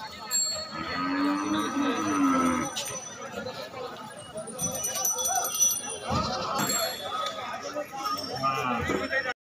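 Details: Cattle unloaded from a truck at a dairy farm; a single low, harmonic moo early on, then people talking, clattering and a ringing bell-like sound.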